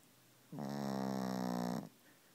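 A Pekingese lets out a single long, buzzy snore lasting over a second.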